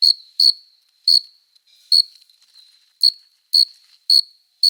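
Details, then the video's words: Nighttime summer chirping of a male cricket calling a female by rubbing its forewings: eight shrill, high chirps, some in quick pairs and others after longer pauses, above a faint steady buzz; quiet otherwise. "Som de GRILO cantando | CRI CRI CRI (Cricket Singing)"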